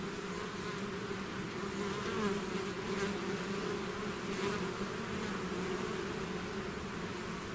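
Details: Swarm of bees out of its hive, a dense continuous buzzing hum with steady low bands and a constant drone throughout, without other sounds.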